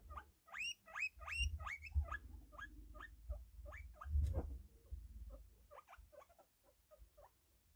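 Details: Fluffy pet guinea pig wheeking loudly, a rapid series of high upward-sweeping squeals, several per second, fading to softer shorter squeaks toward the end, over low rustling and bumping sounds.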